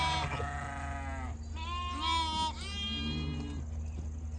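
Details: Some hundred young goat kids yelling while they jump and play. Three nasal bleats with rich harmonics run back to back, the middle one higher and steadier, over a constant low droning hum.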